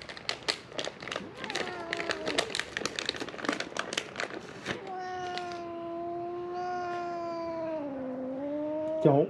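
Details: Among three feral cats crying for food near a shut-down building at Mare Island Naval Shipyard, Vallejo, California, one gives a sustained meow lasting about four seconds that dips slightly in pitch near its end, after a stretch of crackling, rustling noise.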